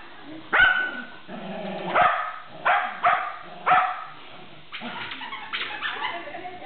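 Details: Shetland Sheepdog playing tug, loud sharp barks spaced about a second apart with a human voice and muffled rustling between them.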